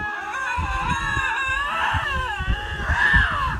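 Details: Two male lynxes stand face to face and yowl in long, wavering, rising and falling wails to show which is stronger, sometimes from night until morning until one gives up and leaves.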